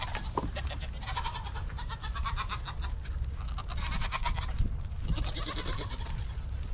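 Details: Several Nigerian Dwarf show goats on a dairy goat ranch bleating continuously, tremulous nasal calls overlapping one another above a constant low-pitched hum.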